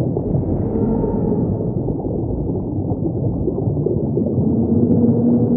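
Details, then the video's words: Humpback whale producing low sustained moaning notes, a higher tone early and a lower one near the end, within a continuous muffled rumble of the deep sea. "relax and chill and lay back to the song of a humpback!!!"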